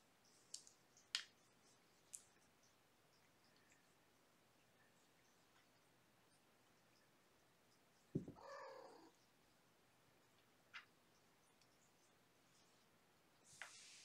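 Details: Kittens from a litter of five Infinity Kittens born April 14 to mama cat Gamora, at bedtime during lap and play time indoors; a short harmonic mew near the middle, with scattered scratches, taps and rustles around it in a quiet room.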